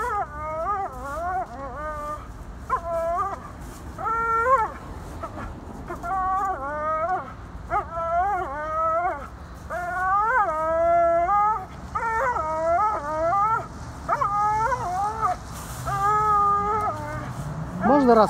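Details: American Staffordshire Terrier named Tank, excited and jumping in autumn, gives a series of high whining howls with rising and falling pitch, in bursts of several cries separated by short pauses; faint background murmur.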